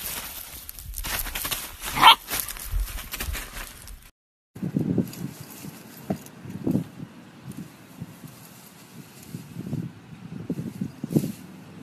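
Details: Husky dogs in a funny pet compilation; after a short cut, low grumbling vocal bursts come every second or so, alongside a rustling, noisy opening.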